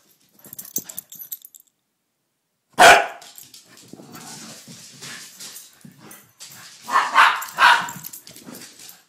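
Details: Two dogs, Rusty and Elliott the corgi, playing together: a loud sudden bark after a brief silence, then rustling and scuffling, and two more close barks near the end during the rough play.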